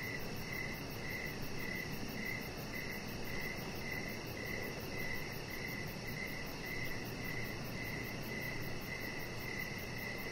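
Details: Evening crickets outside by a deck where a chihuahua puppy rests under decoration lights; bright, high chirps pulse in short regular bursts, roughly every half second, over constant low-frequency hum.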